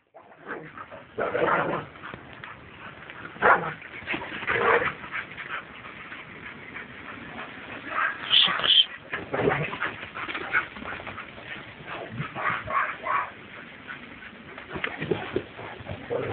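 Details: Two dogs at play, an American Staffordshire Terrier named Bakhida and an Alabai named Oktash, recorded 10 September 2012; irregular short barks, yips and whimpering bursts come throughout, with a brief high squeal near the middle and a human voice speaking.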